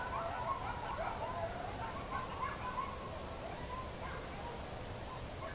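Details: As the sun goes down, coyotes give wavering, high howls and quick yips over a steady background hiss.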